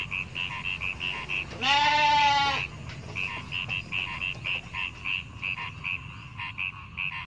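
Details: One strong, harmonic bleat lasting about a second from goats in a herd of hundreds walking through rice fields, set against continuous regular chirping in the background.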